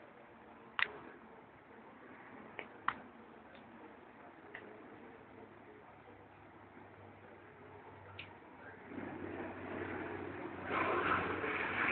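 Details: Scattered taps and clicks over a quiet background, followed by rising broadband rustling noise toward the end.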